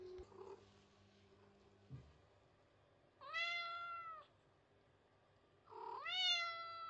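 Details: Indoor white cat pressing itself against a post and calling to be fussed over: a faint muffled mew, a bump, then two loud drawn-out meows, each bending upward then sliding down, with a steady hum behind.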